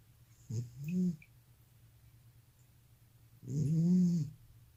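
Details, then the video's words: Elderly cat with sleep apnea snoring: two loud, low, groaning breaths with a rising-falling contour, about three seconds apart, separated by near silence. "고양이 코골이+수면무호흡증"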